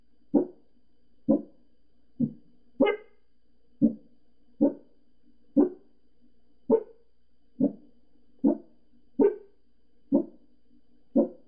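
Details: Pembroke Welsh Corgi barking at neighbours outside next door, a run of twelve short, punchy barks roughly one second apart, a few rising higher and harsher, over a low background hum in a small room.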